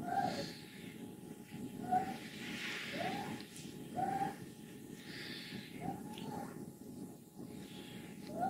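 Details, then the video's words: Fourteen-year-old she-cat Wassilissa, healthy and contented, at home in Leutkirch im Allgäu: brief high squeaks recur roughly every second between breathy hisses, over a continuous rattling purr. "Alte glückliche Katze quiekt, rasselt, brummt"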